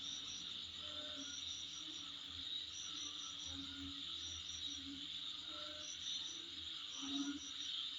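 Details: Outside a home, insects keep up a continuous shrill drone, with clusters of quick high chirps recurring every second or two and faint lower tones beneath.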